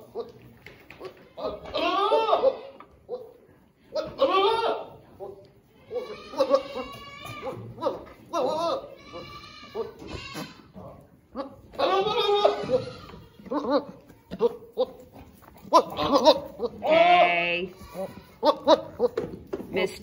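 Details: Boer goat bucks in a pen on a Missouri commercial meat goat farm, larger ones bullying smaller ones: loud, harsh, quavering bleats in repeated bursts, some long and strained, with a person talking and music behind.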